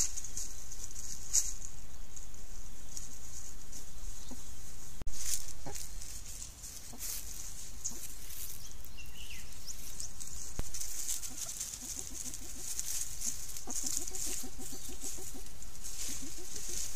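Soft, low clucking grunts from banded mongooses come in quick, uneven bursts as they forage, thickening toward the end. A constant high insect hiss and some low rumble run underneath.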